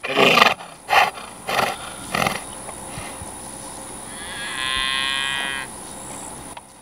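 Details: Guard donkey protecting cattle and territory on a Florida prairie pasture, charging at a person: loud rasping braying pulses about every half second, then a long harmonic hee-haw wheeze, outdoor ambience behind.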